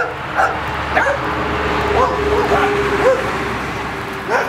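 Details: Welsh Terrier puppies at play, their mother nearby: short, high yips and squeaky whines, some rising then falling, scattered irregularly through a few seconds over a low steady hum.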